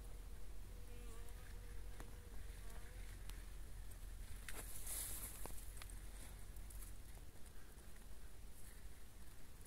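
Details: A male bumblebee, identified by its long antennae and lack of a sting, gives a brief, steady droning buzz over a low rumble of wind and handling noise.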